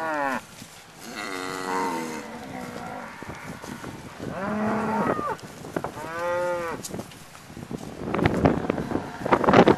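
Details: ['Cattle crowding around a pickup truck, recorded from its bed: several drawn-out moos in a row, some overlapping, with knocking and shuffling noises between them and a burst of clatter at the end.']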